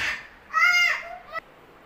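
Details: Rescued stray kitten that is not eating anything and whose foster mother has lost interest in him: a loud, half-second harmonic meow that dips at its end, then a brief sharp rising squeak before quiet.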